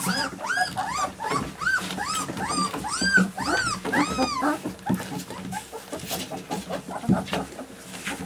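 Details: Alaskan Malamute puppies whining: a run of short arched squeals, rising then falling, repeated quickly over the first five seconds, then fading into low shuffling and scattered softer whimpers.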